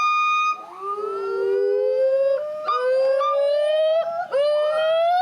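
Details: A female gibbon, apparently the family's mother, at a gibbon conservation center in Santa Clarita, California, gives loud, rising whooping notes, a territorial call announcing the family's area to neighbours.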